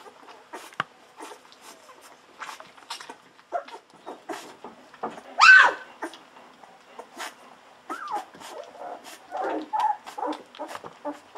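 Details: Golden Retriever puppies, fourteen days old, feeding hungrily on milk from a bottle: scattered short squeaks and one louder rising whine, with faint suckling and clicking noises between calls.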